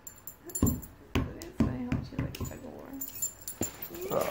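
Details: Two Shiba Inu dogs in a long vocal argument over a ball; short yips and grumbling whines come in bursts, with a person talking and laughing in between.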